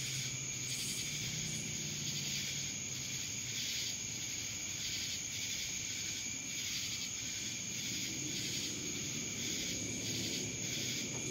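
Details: Cicadas calling in Dallas, Georgia: a dense, shrill, unbroken high-pitched drone that swells and fades in rapid rhythmic pulses, laid over a steady whining tone throughout.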